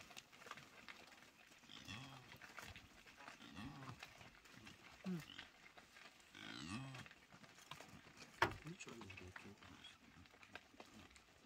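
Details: Blue wildebeest (Connochaetes taurinus) resting in the shade in Etosha National Park, Namibia, give low, nasal grunting calls in short bursts through a quiet background.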